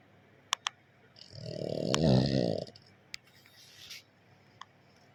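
A pug gives a single long, rumbling snore, low and throaty with a rattling flutter.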